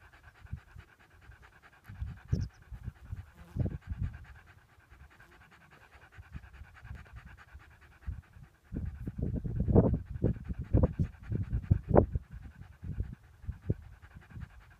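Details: Lurcher dog near a rabbit it had chased, panting heavily: rough, breathy, low bursts, sparse and quiet for the first eight seconds, then loud and close together to the end, over a faint steady hum.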